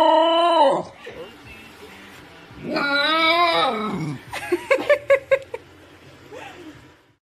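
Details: Basenji, a dog unable to bark properly because of its flat larynx, yodelling indoors: a loud wavering harmonic wail dropping away, a second long warbling rise and fall, then a burst of short yelping notes.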